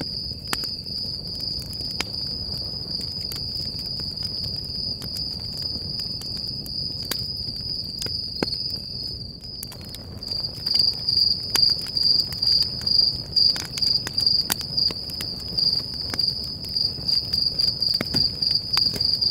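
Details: A cricket trills steadily on a high, thin note while a campfire crackles and pops at night, recorded while camping at Stoney Creek Campground in Sequoia National Park, California.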